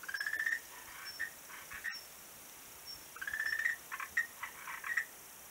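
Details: Frogs on a beach, 11 March 2017, give rising whistle-like notes in two bouts, each followed by a run of short clicks and chirps, with a quiet pause between and constant background hiss.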